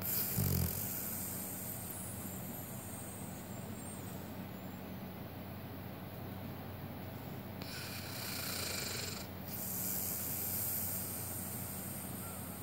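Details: A male Siberian Husky sleeping in an odd position snores with low, rough breaths, recorded close to his nose, over a steady background hum.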